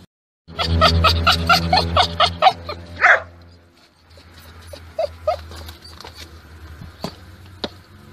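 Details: Yorkshire Terrier giving a rapid run of high, tonal yips and whines, about two per second, then a louder rising whine near three seconds, followed by quieter scattered squeaks over a steady low hum.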